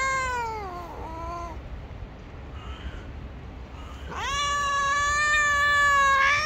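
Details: Angry gray stray cat that bites if touched: a falling moaning yowl fades out, a quiet pause follows, then a loud, sustained, harmonically rich wail rises sharply and holds to the end.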